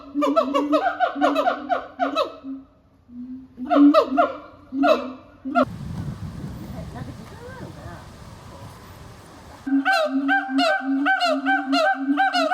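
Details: Captive siamangs at Japan Monkey Centre, Inuyama, Aichi, in winter (22 December 2025) inflate their throat sacs and call in a loud chorus of short, honking screams repeated rapidly, with occasional high "aaa" cries, asserting territory.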